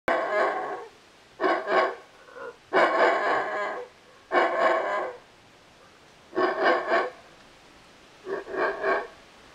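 A howler monkey gives a series of harsh, rasping bark-like grunts in short bursts.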